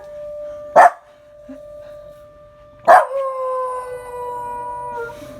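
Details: Rungji, a long-legged male Welsh Corgi born in 2015, howls along to the Memorial Day siren: a steady siren tone runs throughout, with two sharp knocks before a long, rich, level howl joins in at the end.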